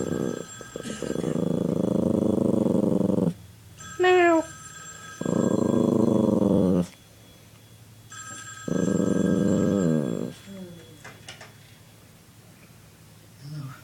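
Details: Puppy irritated by teasing indoors, steady throaty growls lasting two to three seconds, broken once by a short rising whine, with quiet room noise and faint talking between bouts.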